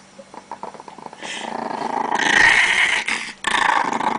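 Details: Very angry Chihuahua guarding its pancakes, a rough rattling growl that swells louder midway with a brief break near the end, fast pulses about four per second, indoors.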